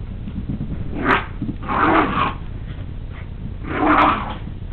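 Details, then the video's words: Excited poodle playing with a pink toy pig, giving low, rough growling bursts about a second long, roughly three in under five seconds, with faint handling noise between. "Rudy The Excited Poodle"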